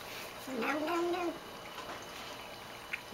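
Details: Female house cat calling while drinking water indoors; a short, quieter wavering mew under a second long, followed by room hush and faint lapping.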